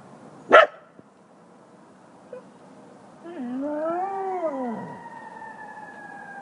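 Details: A golden retriever–duck toller mix, newly taught by a howling Buhund (?) mix, howls at sirens: a wavering howl that rises then falls, after a sharp knock at the start.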